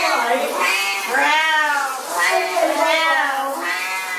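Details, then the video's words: Siamese cats at shower time, giving long, drawn-out, wavering meows one after another with barely a pause, rising and falling in pitch, five or six cries in quick succession. "Siamese Cats At Shower Time"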